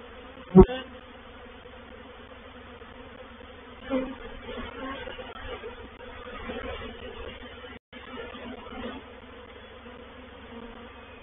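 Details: Reproductive swarm of honey bees moving into a bait hive (swarm trap) at Painted Peacock Manor on 04/07/21: steady low droning hum with layered tones, a sharp knock near the start and a brief dropout later.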